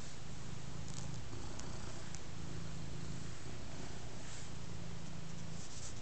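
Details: Ostikka, a big black cat content on a mat and being scratched, gives a loud low purr in alternating breaths about every second or two, with faint rustles and soft clicks from the scratching.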